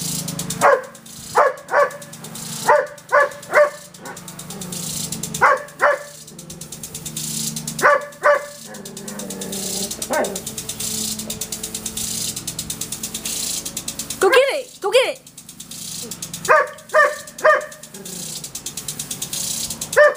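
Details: Backyard Irish Setter Irene barking at a water sprinkler she treats as an intruder: repeated volleys of two to four sharp barks, one higher yelping pair midway, against the sprinkler's constant rapid ticking and spray.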